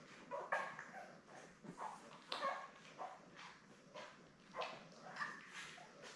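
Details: Seven newborn Labrador Retriever puppies, born May 24, 2021, with their mother Belle on a live puppy cam on June 3. Short squeaky whimpers and yips come in scattered bursts, some with clear tonal squeals, over soft rustling and shuffling.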